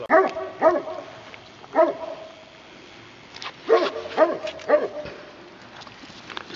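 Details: Wild boars being fed by people at Arroyo Frío, Cazorla, give short, sharp, harmonic squealing yelps, about six over six seconds, some in quick pairs, against a quiet outdoor background.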